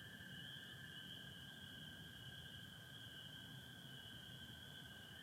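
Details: Spring peepers and American toads together in Michigan on 24 April 2025, a partly overcast starry sky: constant high-pitched peeping chorus layered above a steady, slightly lower droning trill, low hum underneath.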